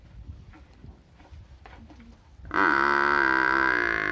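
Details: A village cow stays quiet for over two seconds under low rustling. Then a loud, sustained, high, bellowing moo sets in and carries to the end.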